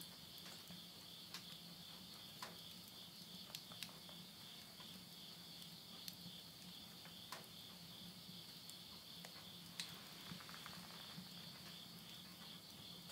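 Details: Late-summer insect voices at midnight in rural Tottori, Japan, September 2020: an unbroken high-pitched trilling drone, with scattered snaps and crackles of burning wood in a stove and a faint low hum underneath.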